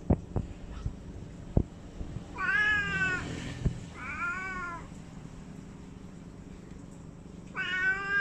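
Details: Cat meowing three times, each meow a harmonic, slightly wavering tone of about a second, with clicks and handling knocks in a quiet room between calls.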